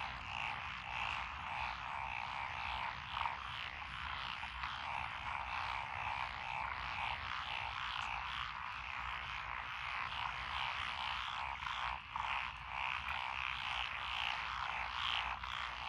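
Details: Frog chorus rising from lotus-planted rice fields by a rural road, Echizen, Fukui Prefecture, Japan, 12 June 2021, including wrinkled frogs and forest green tree frogs. Unbroken wall of overlapping raspy croaks, evenly loud throughout.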